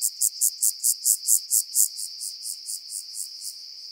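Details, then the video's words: Rock-dwelling grasshopper singing on the Croatian island of Cres, 13 July 2022: a continuous series of about eighteen high, dry, rasping pulses, loudest in the middle, fading gradually toward the end. "Omocestus petraeus -- Felsgrashüpfer -- Rock-dwelling Grasshopper"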